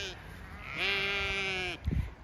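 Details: Chatty Zwartbles ewes on a County Kilkenny farm in Ireland, calling as their field is checked before moving them: one long, steady, strongly harmonic bleat lasting about a second, after a fainter call, then soft thumps and rustling.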